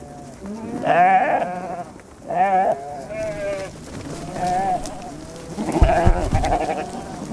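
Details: Sheep in a mixed flock with goats on the steppe at Bayandelger, Tuv province, Mongolia, bleat in wavering, quavering bursts, several animals calling over one another.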